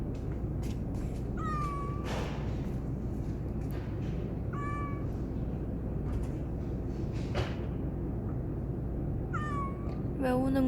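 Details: Pet cat meowing in reply as its owner asks why it is crying: three short, rising-then-falling meows spaced a few seconds apart, a final higher, strained meow, steady low background hum, occasional clicks.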